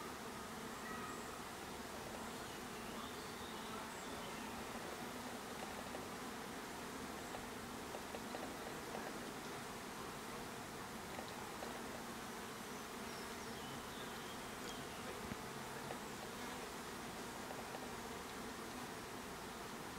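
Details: Continuous humming from bees at their hive: an even, unbroken drone with low and middle tones, steady throughout with no breaks.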